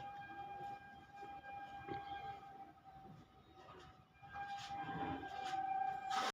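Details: A steady siren-like horn tone and rumbling train noise fill the air, with no animal sound.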